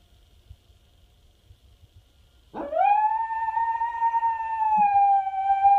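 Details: Pet dog howling at passing sirens as though answering other dogs; after quiet, a howl swoops sharply upward, then holds a long, steady, slightly wavering tone with strong overtones, continuing to the end.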